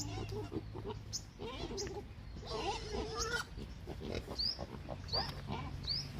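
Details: Hungry pig grunts and short squeals over a low rumbling background, with a few brief high, chirpy rising notes near the end.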